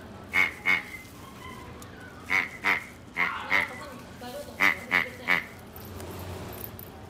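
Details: A male black-and-white Japanese Chin and Chihuahua mix, born October 2017, gives sharp, high yaps in quick pairs and threes.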